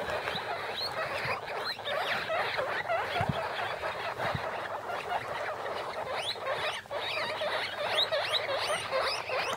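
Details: Huddled in a plastic bin, a litter of six guinea pig pups fifteen days old makes a busy blur of thin squeaks and chirps over rustling, with occasional low thumps.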